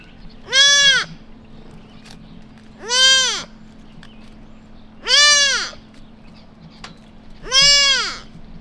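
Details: Lost newborn white-tailed deer fawn in a quiet suburban neighborhood crying out for its mother: four loud, nasal, arching bleats, each about half a second long and roughly two seconds apart, over a steady low hum.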